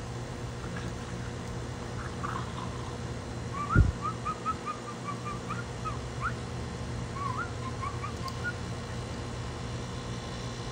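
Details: Thirteen-week-old French Bulldog puppies outside on an evening in North Chesterfield, Virginia, in March 2024, giving a long string of thin, rising whimpers and yelps over several seconds, with one dull thump and a steady low hum beneath.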